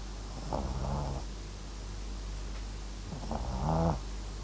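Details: MAX, a dozing Papillon x Japanese Chin dog, gives two drawn-out, purring snores with a rattling texture, the second louder and rougher, separated by a quiet pause.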